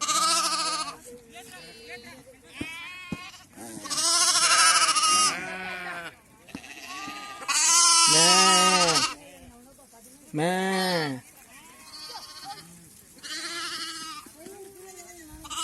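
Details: Sheep in a flock receiving PPR vaccine: loud, harsh bleats from several animals in bursts a few seconds apart, some long and wavering, with people calling and talking between them.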